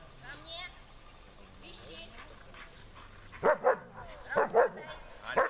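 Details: German Shepherd in protection training, barking at the helper and searching for him under harder conditions; after three quiet seconds with faint background sounds, several loud, sharp barks come in quick pairs.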